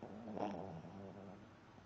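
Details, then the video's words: Sleeping dog snoring: one low, rough, rasping breath with a brief brighter burst near the start, then a steady low rumble that fades over under two seconds. "dog snoring while sleeping"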